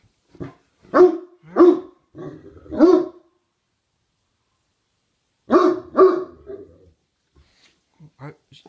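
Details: A dog's twilight bark, given a few hours too early: short, rough, harmonic barks, four within the first three seconds, then a pause and two or three more around the sixth second, with faint low sounds trailing after.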